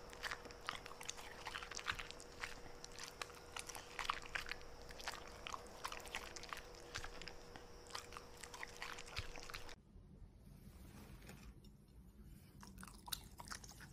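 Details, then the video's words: Domestic Corgi munching food such as steak, broccoli and blueberries; dense crunchy chewing with rapid clicking bites for most of the stretch, then a sudden cut to a quieter, duller room sound with a few soft chews. "Corgi Eating Steak, Broccoli, Blueberries"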